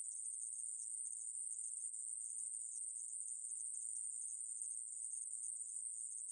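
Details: Conehead katydid (애매부리), recorded in 2020 by Korea's National Institute of Biological Resources: one continuous, even, shrill buzz with no breaks or change in pitch, heard alone on a silent background.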